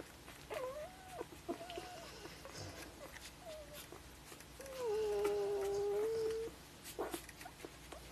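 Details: Golden Retriever puppies from a 2013 litter, five days old, give thin, wavering whines and squeals, one long steady moaning cry held for about two seconds, with shuffling and rustling around them.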